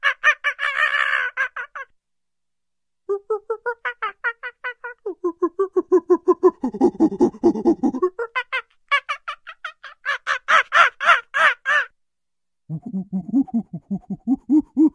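A monkey chatters in quick, pulsed runs of notes, some high and shrill, others lower and throaty. The bursts come in separate bouts broken by short silences, with the pitch changing from one bout to the next.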